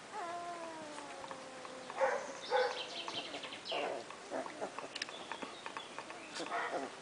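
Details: Wirehaired Vizsla pups from two litters, aged two days to four weeks, with their mother tending them: a long falling, tonal whine at first, then short squeaks and whimpers broken by scattered soft clicks and rustles.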